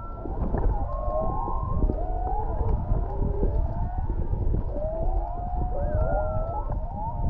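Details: Humpback whale song recorded underwater about half a mile away off Canoe Beach, Maui: overlapping moaning, sliding tones and rising whoops over deep underwater rumble.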